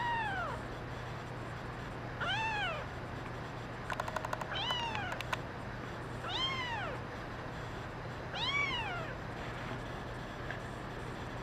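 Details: Young kittens, a brown mackerel tabby female among them, give five arching meows at roughly two-second intervals. Each bends up and then down with bright harmonics. A burst of sharp clicking taps falls between the second and third cries over a constant low hum.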